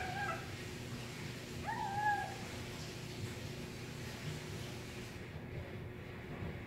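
A kitten makes small, thin mewing squeaks while eating, with two brief rising-then-level notes.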